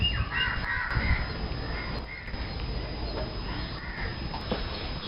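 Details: Thari or Mewati bull making its mating sound during courtship. Hoarse, caw-like, jeering calls with a bird-like quality come in uneven bursts across a few seconds over steady low rural background noise.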